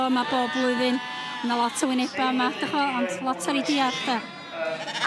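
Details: Welsh Black Mountain sheep giving a run of short, level, nasal bleats, some breaking upward at the end, in quick succession with occasional clicks between calls.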